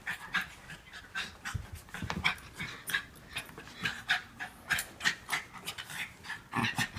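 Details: Norfolk Terriers, Otto and Ernie among them, wrestling at play while the others keep Ernie under control; quick breathy panting bursts repeat about every half second, with a few sharper huffs, and no other clear sounds.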